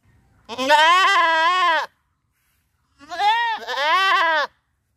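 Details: Village goats near a river at Rosulpur bleating baa baa: two long, loud, wavering bleats, the second rising and breaking in the middle, over a quiet background.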